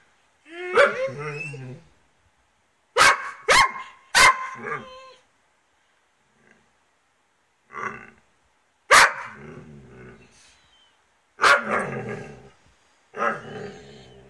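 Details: A Dobermann and a Rhodesian Ridgeback, one cranky after losing her favourite ball and taking it out on the other dog: harsh barks and growly yelps in clusters, a woman's voice scolding between bursts, quiet pauses between.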